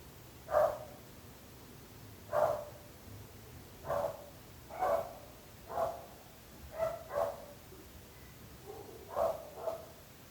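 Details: Nuisance dog barking: single sharp barks spaced roughly one to one and a half seconds apart, a quick double bark near the middle, over faint background hum.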